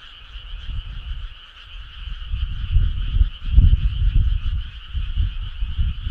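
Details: Frogs calling as a choir on a summer night: a steady, fast-trilled chorus in two bright bands, with heavy low rumbling thumps underneath that rise and fall throughout.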